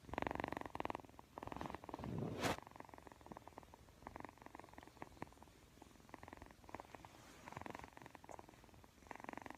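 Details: A Persian kitten purrs in a steady, low, rumbling rhythm of rapid pulses while yawning and playing with the camera.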